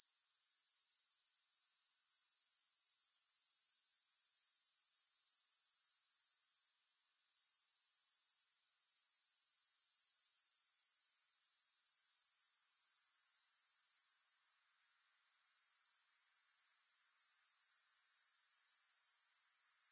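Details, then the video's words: Grasshopper chorus of high, hissing pulses at a steady four beats per second, interrupted by two short quiet gaps around seven and fifteen seconds before resuming at the same pitch. "3 Hours of Grass Hopper Sounds"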